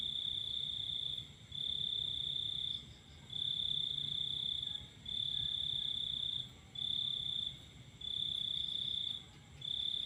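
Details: Under a full moon at night, crickets sing sustained high-pitched trills, about one and a half seconds long and repeated roughly every two seconds with short breaks, backed by a faint low rumble.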